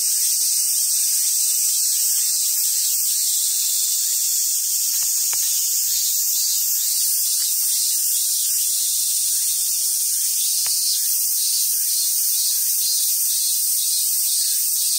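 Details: Cicadas on a summer day at a monkey park in southern Sumoto, Hyogo, Japan: a loud continuous high buzz, its upper layer shifting slightly in pitch partway through, with a few faint clicks.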